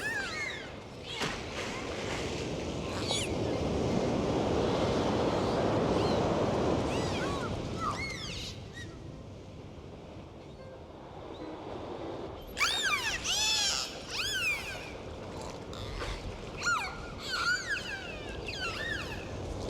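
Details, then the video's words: Dolphins swimming and playing in the sea: after a stretch of rolling surf, a burst of high, arching whistles, many rising then falling, rings out in quick overlapping series over steady wave noise. "The sounds of dolphins and the sound of the sea"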